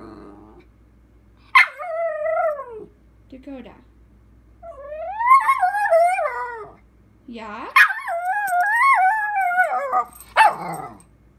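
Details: Young female dog answering her owner with long wavering howl-like moans, several sustained warbling phrases bending up and down, plus a brief yip, indoors with quiet music and the owner talking nearby.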